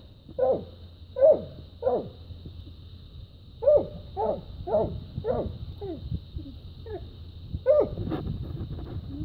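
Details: Dogs after fighting a raccoon and treeing it, barking at the tree: a series of sharp, mid-pitched barks, irregular, roughly one per second with pauses, over a steady high electrical whine and low background rumble.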